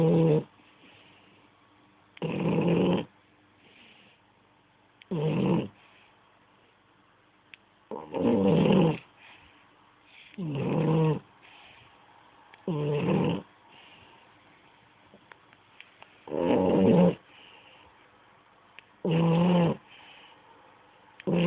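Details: Sleeping French Bulldog Ferrero snores steadily, with harsh, rattling snores coming roughly every two to three seconds, some in close pairs, and faint breaths between them.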